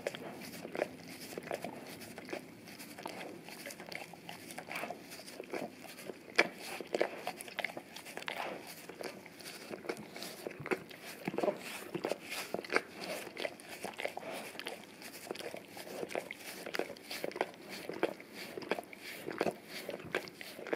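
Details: Indoors on a tile floor, a male English cream golden retriever works his tongue over a taped-down Orapup cleaning brush smeared with peanut butter; sharp moist clicks and slurps tumble in quick uneven bursts.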